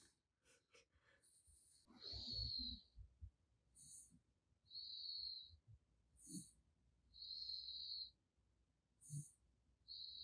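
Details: Raccoon named Gaeddong snoring while asleep: high, thin whistling wheezes rise and fall about every one to two seconds, some stretched into longer hisses, over soft low rustling and breath sounds.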